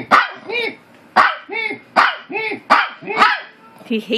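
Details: Maltese dog barking back and forth with another dog as if arguing: a run of short, high, yappy barks with arched tones, about two per second, with a person talking nearby.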